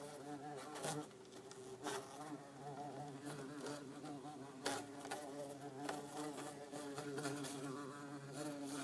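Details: Two bumblebees, an orange-belted and a yellow-faced bumble bee, kept in an insect tank, give a steady low droning hum with harmonic bands, broken by frequent sharp knocks and taps through the clip.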